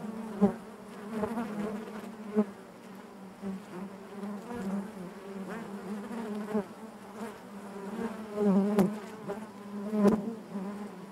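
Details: Honey bees buzzing inside their hive: a dense, steady drone with a low hum and stacked overtones, swelling louder in brief surges around the first, ninth and tenth seconds, with faint clicks and knocks.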